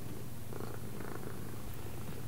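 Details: Domestic cat purring during a left-and-right training session: a steady low rumble, broken by brief faint mid-pitched sounds, while a person gives spoken commands before and after.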